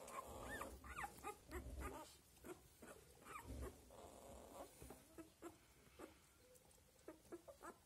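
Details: Australian Labradoodle puppies, seven days old, giving short high squeaks and whimpers in quick irregular bursts, with soft low rumbling and shuffling underneath.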